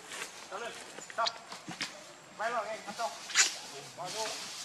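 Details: Hungry baby monkey Lucie crying for milk, foaming at the mouth; repeated arched, wavering squeals in short bursts, with rustling and other noise between the calls.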